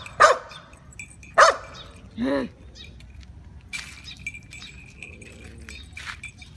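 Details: Two sharp barks from a Shiba Inu facing off with a cat, followed by a short whining moan and then quieter rustling and faint voices.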